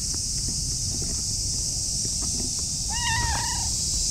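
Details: Affectionate orange tabby cat meowing sweetly while rubbing against a person's legs outdoors; one short, clear, slightly falling meow near the end over a constant loud high-pitched hiss and low rumbling background.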